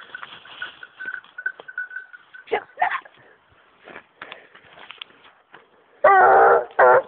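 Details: Young female hunting dog on wild boar gives two loud, rough, tonal baying barks close together at the end, after a stretch of steady high whine, clicks and rustling.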